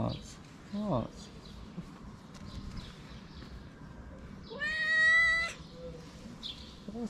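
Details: Street cat in Morocco loudly asking to be fed: a brief low mew early on, then one long, strong, steady meow rich in harmonics lasting about a second, with quiet background hiss and soft voices.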